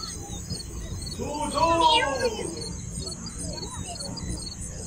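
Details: Yum, a pet cat living in Siem Reap, Cambodia, gives one drawn-out meow lasting about a second. Its pitch rises, then slides down. A steady high whine and low rumbling hum run underneath.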